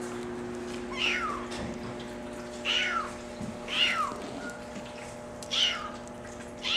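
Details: Brown mackerel tabby and white Maine Coon kitten, male, born July 17, meows repeatedly in high, bright calls that slide downward, roughly one every one and a half seconds, against a low steady indoor hum.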